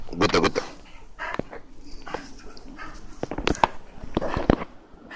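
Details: Ainu dog named Garou, in the fifth part of a running-wild sequence, giving sharp broadband barks and yelps: a quick cluster in the first half-second, then single barks scattered over the next five seconds against steady background noise.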